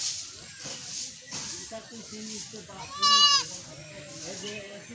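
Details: Baby goats on a village goat farm in Bangladesh, one giving a short wavering bleat near the middle, with a man speaking Bengali before and around it.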